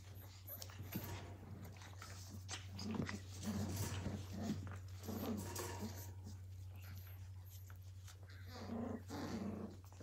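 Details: Blue heeler puppies, Australian Cattle Dogs at Tin Roof ACDs, 2020 litter of Willow and Tory, tussling in play; repeated rough, low growling bursts with harmonic grumbles, scuffling in between and a constant low electrical hum.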